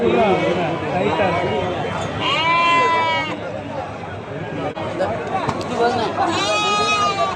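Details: Goats at a busy market, several drawn-out quavering bleats, one near the middle and another toward the end, rising over continuous loud talking and crowd din.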